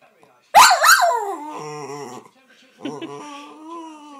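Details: Pet jack russell terrier telling off its owner because it wants the owner's coffee: a sharp yelping onset followed by a long wavering, sliding whine, then a second lower drawn-out moan.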